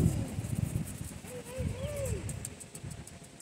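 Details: Central Asian Shepherd (alabai) puppy at a breeder, described as lazy and liking to talk, gives a drawn-out whine that wavers and then rises and falls in one arched note, over low rumbling background noise.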